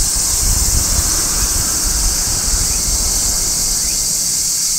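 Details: Midsummer song of a large brown cicada on a tree: an unbroken, bright, hissing drone high in pitch, with faint low rumble underneath.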